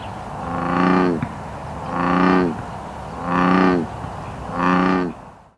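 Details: A non-native American bullfrog in Oregon's Willamette Valley gives four low, resonant, buzzy bellows, each under a second, in a steady series with short pauses.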